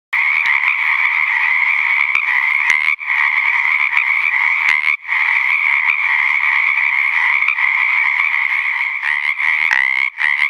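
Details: In late February 2009, in ponds in Napa County, California, a dense chorus of male Pacific chorus frogs overlaps into a steady din of raspy two-part 'kreck-eck' croaks, calls made to attract females.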